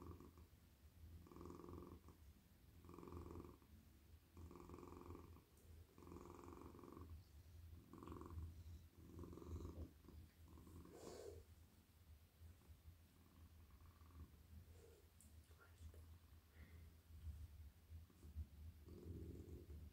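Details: Warm, cosy male cat melting in a lap as it is petted at night, giving a strong rhythmic purr with cycles about every one and a half seconds that softens mid-way amid light rustling, then builds again.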